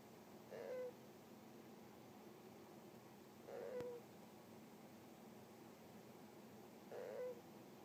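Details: Pet hamster asleep at home, snoring in soft whistling puffs likened to "puhyururu"; three short wavering tones about every three seconds over a quiet hiss.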